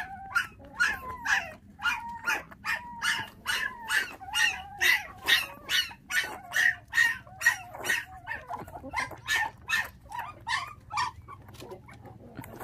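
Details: A litter of five motherless puppies, bottle-fed since losing their mother to dog thieves at six days old; regular, evenly spaced rising-falling yelps about two each second, fading slightly toward the end.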